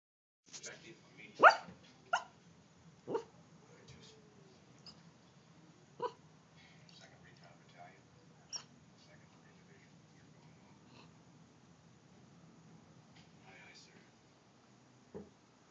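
A Great Dane puppy gives soft, muffled woofs and yips in its sleep, spaced irregularly over several seconds.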